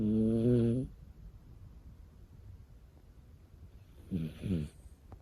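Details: A sleeping puppy gives a long, buzzing snore, then a quiet pause, then two short, rattling snorts close together.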